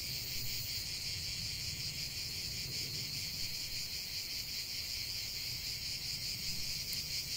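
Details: Loud continuous cicada chorus, a sizzling high buzz with rapid throbbing, steady throughout, over a faint low background rumble.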